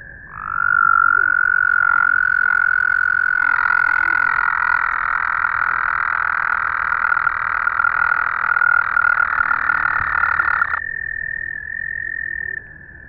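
An American toad sings a sustained, high, musical trill, an even purring buzz held on one pitch for roughly ten seconds. A fainter, slightly higher trill continues briefly after it ends.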